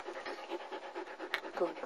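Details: Young female German Shepherd, one of nine pups in a June 2009 Florida litter, recorded 5 November 2009: fast, airy panting in regular puffs, with a brief woman's voice near the end.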